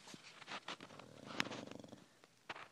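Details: Old deaf female dog, 16 years old, sound asleep indoors and snoring; soft ragged rumbling breaths with a fluttering rattle, one sharp click midway, quiet overall.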